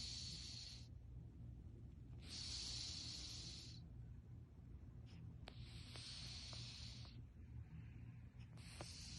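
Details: Storm, a fourteen-year-old Russian Blue cat, snores while sleeping: breathy, hissing bursts arrive roughly every three seconds, each lasting about a second, over a steady low hum.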